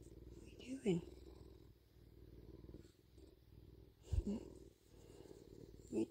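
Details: Male bobcat purring steadily while being handled and having its ears checked, a low continuous rumble throughout, with a woman speaking over it.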